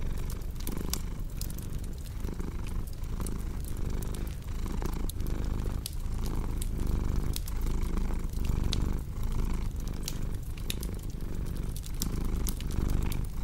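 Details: Low, throaty cat purr rolling on without pause, rising and falling with each breath roughly every second, while a cozy fire crackles and pops steadily in the background.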